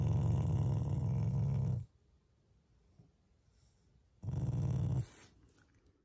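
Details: Pet Shiba Inu growling as a loving expression toward its owners, not in anger: a sustained low rumble lasting nearly two seconds, then a pause and a shorter second growl.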